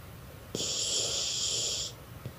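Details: Chuchay, a lazy dog, sleeping and snoring loudly indoors: one long hissing, whistly exhalation lasting over a second, bracketed by faint soft snorts in a quiet room.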